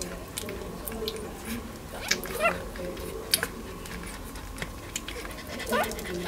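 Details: Hilla's one-week-old puppies, recorded 26 August 2020, giving short thin rising squeaks and whimpers, a few spaced through the stretch, with a louder upturned cry midway, over a steady low background hiss and faint rustling.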